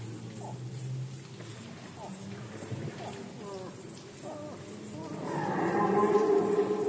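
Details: Red deer in rut season, Poland, 2020: low, groaning harmonic tones in the first seconds swell into a loud, rich roar over the final two seconds, while a steady high-pitched pulsing ticks throughout.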